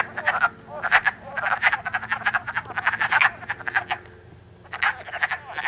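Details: Wood frogs calling while mating in early spring, March 3, in Elmer, New Jersey, filmed on an iPod; short raspy clucking croaks in quick clustered bursts, several frogs overlapping, with a quiet pause near four seconds.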